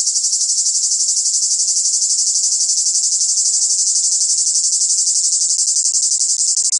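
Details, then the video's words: Cicadas in the south sing a loud, continuous, high-pitched buzzing chorus that pulses rapidly without pause. "Le chant des cigales c est ca le sud !!"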